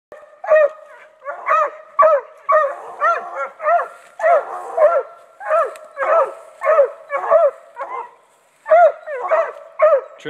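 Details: Bluetick Coonhound. A Bluetick Coonhound gives its bay, a series of loud, bell-toned barks repeated almost twice a second. Some notes are short and sharp while others stretch into a rising, mournful howl, with brief pauses between bursts.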